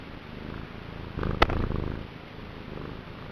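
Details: Niku, a male domestic cat, purring vigorously, the low pulsing rumble swelling louder for half a second with a sharp click at its peak, then settling back to a soft steady purr.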